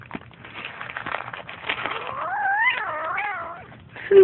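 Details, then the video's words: Kittens growling at each other while feeding, indoors: a rough, noisy start gives way to a drawn-out wavering moan that rises and falls between 2 and 3.6 seconds, with a short sharp sound at the end. "Kittens growling during feeding"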